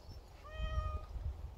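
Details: A very dog-like house cat utters one clean meow lasting about half a second, rising at onset then steady, over a continuous low background rumble.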